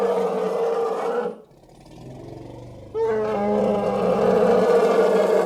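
An elephant gives two loud, rough, harmonic roaring bellows separated by a brief pause.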